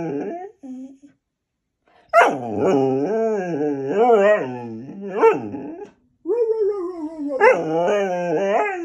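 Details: A Goldendoodle throwing its daily temper tantrum gives a few short whines, then long, wavering, moaning howls that swoop up and down in pitch. They come in drawn-out phrases separated by brief pauses.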